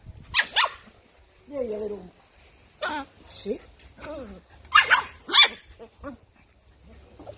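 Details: Toy poodle acting aggressively, giving sharp, harsh barks in pairs, near the start and again after several seconds, between stretches of a woman talking to the dog.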